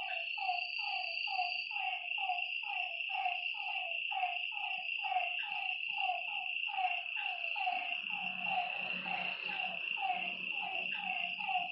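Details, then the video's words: Night frog chorus at a lake: many overlapping short falling croaks pulse about twice per second. A constant shrill insect buzz runs throughout, and a brief broad rustling noise comes in near the end. "Lakeside night creatures and frog sounds"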